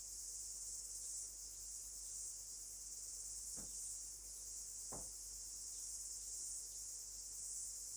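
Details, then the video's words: In New Zealand in late summer, as the season begins to change, a cicada sings louder: a steady, shrill, high-pitched buzz that pulses slightly and never stops. "The cicada is singing louder."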